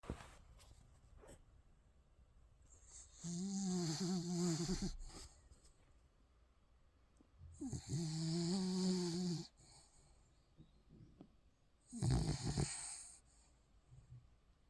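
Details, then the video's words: A Spitz puppy in deep sleep snores loudly. Each drawn-out, buzzy, harmonic snore lasts one to two seconds and recurs about every four seconds, with quiet breathing between in a still room. "강아지 코골이+꿀잠"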